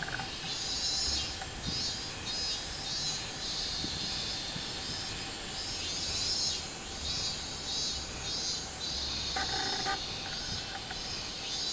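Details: Robust cicada, 24 July 2016, giving repeated high pulsing buzzes in loose series throughout. A steady shrill insect hiss runs underneath, and a brief lower rumbling sound enters near the tenth second.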